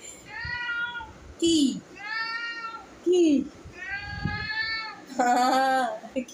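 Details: Indoors, a cat meows again and again: drawn-out, high, arched meows about a second long, alternating with shorter, lower, falling cries, while a person talks nearby in Bengali.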